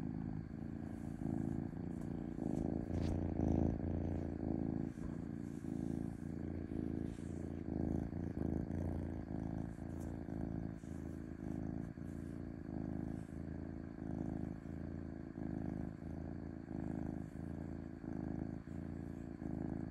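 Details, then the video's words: Smooth purring of a domestic cat, a deep continuous rumble pulsing in regular breath cycles about every second, with a soft background hum and a brief click near the start. "5H of Cat Purring Smoothly"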